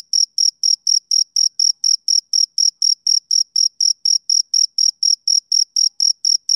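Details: A male cricket chirps steadily on a summer evening, each brief piercing pulse spaced evenly from the next in a continuous rhythmic series, quiet surroundings otherwise.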